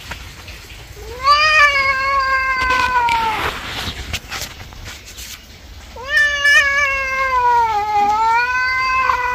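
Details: Angry pet cat being bathed gives two long drawn-out wailing meows, each a sustained harmonic cry lasting about two to three seconds, the second bending downward, with faint splashing and room noise between.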